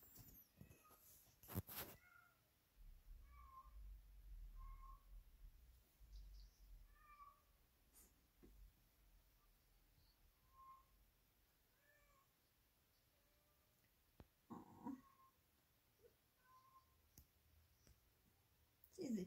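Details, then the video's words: A pet cat singing her song while playing with a toy off camera: soft, short, quiet meow-like notes repeated at irregular intervals, with a woman speaking and some handling clicks. "Sweetie cat singing to a toy off camera"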